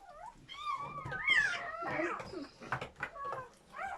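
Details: Newborn German Shepherd puppies during their mother's labour, one of a litter of seven: several thin, high squeals overlap, rising and falling in wavering cries with short gaps, at times piling into a louder, rougher burst.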